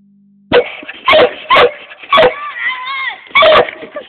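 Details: Seven-month-old Treeing Walker Coonhound puppy barking at a raccoon tail, recorded on a phone: loud, harsh barks about every half second, then a drawn-out wavering bawl and two more barks. The recording is close and overdriven.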